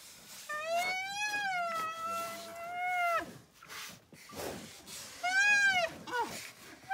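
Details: Young rhinoceros calf crying out while hungry for milk: a long, wavering, whiny squeal lasting about three seconds, a short gap with rustling, then a second briefer rising and falling squeal.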